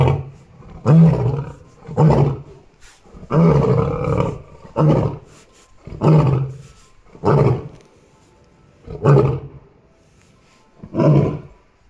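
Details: Choco, the Amur tiger at Kushiro City Zoo, Japan's oldest of her kind at 16 years 9 months, recorded 15 March 2021 late morning, delivering a run of short, deep, grunting roars about every second or so, gradually spacing out.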